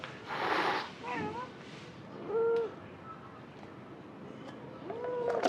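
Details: Cat giving several short, soft meows, some rising and falling, spaced a second or two apart, with a burst of rustling noise at the start and quiet room background.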